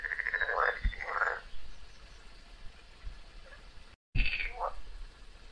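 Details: During a long fight with a snake, a frog cries out twice in quick, loud, wavering wails, then falls quiet; after a brief cut, a shorter rising cry follows.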